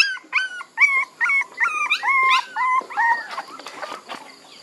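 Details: Puppies giving loud, clear, bent whines in a rapid series of about ten, each a short tonal cry that rises then drops, followed by softer rustling.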